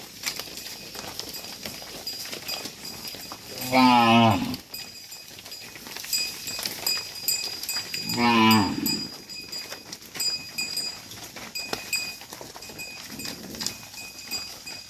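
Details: Herd of dozens of tame cattle guided back to the farm pen, giving two loud, wavering moos about four seconds apart, plus a faint third call later, over constant hissy outdoor noise.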